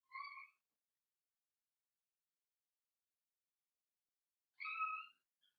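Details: Cavalier King Charles Spaniel puppy, seven weeks old, one of Daisy's litter in a home puppy pen: two short, high, tonal whimpers about four seconds apart, with quiet between them.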